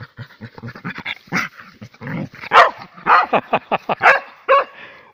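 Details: Russian Spaniel Shustrik, out in the forest, panting, then a run of sharp, loud barks about every half second, mixed with breathy huffs.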